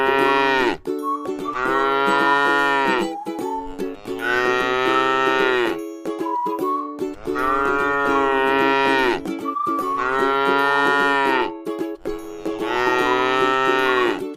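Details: ['Tame cow eating grass in a rice field gives long, drawn-out moos, five in about fourteen seconds, each rich and harmonic and falling at the end, over a steady music-like tone.']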